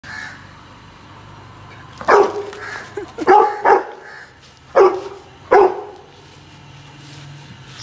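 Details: A Saint Bernard puppy acting aggressive lets out five gruff, hoarse barks in uneven bursts: one alone, then a quick pair, then two more spaced about a second apart, over a low steady background hum.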